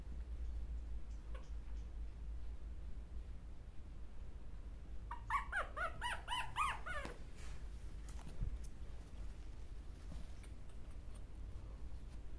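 A Chihuahua gives a short burst of high, wavering whines over a steady low indoor hum.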